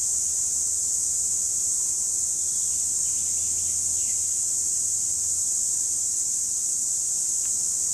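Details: Cicadas recorded in 2017 produce a steady, unbroken high-pitched buzzing drone that holds level for the whole stretch, with a faint low hum underneath.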